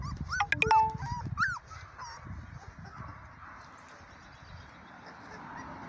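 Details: Three-week-old Dark Sable German Shepherd puppies give a quick burst of high, rising-and-falling whimpers and squeals during the first second and a half. Soft rustling and low rumbling handling noise follow for the rest.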